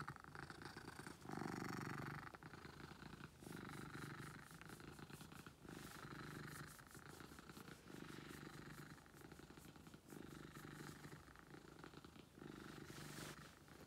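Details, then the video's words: Loud purring from a house cat called Beetle, rhythmic low vibration swelling and fading with each breath across about fourteen seconds, with a few brief clicks. "Beetle Purrs"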